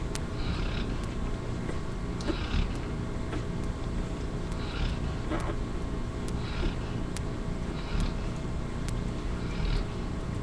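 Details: Kylie, a yellow Labrador Retriever mother, snoring in her sleep while two of her puppies nurse, with Buddy asleep nearby on a live puppy cam; soft breathy rasps recur about every second over a low steady hum, with sharp faint clicks.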